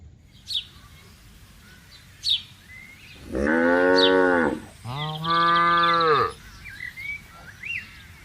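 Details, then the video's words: Tame cattle grazing calmly in a herd on a vast open grassland, with calves among them: two long, loud, harmonic moos, each about one and a half seconds, back to back, with scattered bird chirps and whistles in the background. "bunyi suara sapi lembu lucu"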